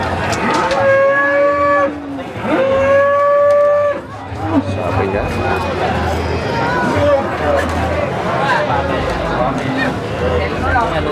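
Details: Cattle at the Boyolali cattle market in Indonesia, young feeder stock, low drawn-out moos with clear harmonics in the first four seconds, then a busy market background of people talking and scattered noise.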